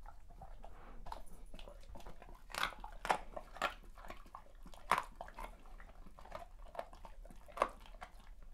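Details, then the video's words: Great Pyrenees dog enjoying a birthday feast indoors, making crunchy, wet, chewy eating sounds: irregular bites and crunches with sharp loud snaps near three, five and seven and a half seconds over steady soft chewing. "Great Pyrenees' birthday feast ASMR. Crunchy, wet, chewy sounds."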